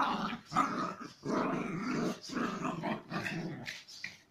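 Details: Chihuahua cross dogs in aggressive play, giving rough, throaty growls in long, loud bursts, each about half a second to a second long and separated by short breaks.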